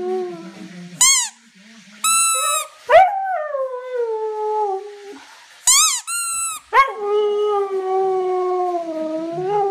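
A Siberian Husky gives drawn-out howls that start high and slowly slide downward. Between them come short, bright yelps and squeaky cries, repeated in quick bursts.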